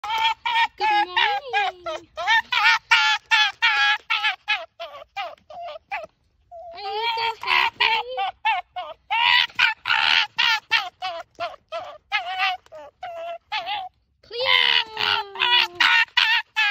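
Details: An Arctic fox, happy and excited, yaps in rapid, high, honking bursts with a few drawn-out whines.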